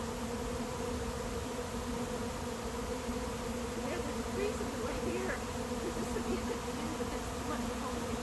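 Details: Honey bees of a late-season swarm settling into an empty hive in 2021 make a continuous low, humming drone throughout, with a few faint, brief sounds riding above the steady buzz.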